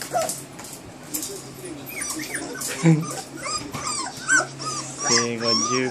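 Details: Josephine's Standard Poodle pups, 23 days old (born 5 August 2014), recorded 27 August 2014 at a breeder. Thin rising-falling squeals and whines repeat through the clip, and a human voice joins near the end.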